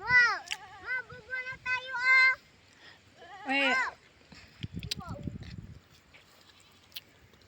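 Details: Goats herded by a river in the countryside give loud, quavering bleats, a long wavering run followed by a shorter one, then faint rustling and a person's voice in the background.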